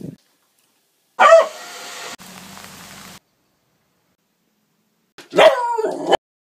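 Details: Tess the Beagle, a female puppy filmed one second a day over six months, gives two short harmonic barks or yips, the first near the start and the second about four seconds later, with a soft hiss between them.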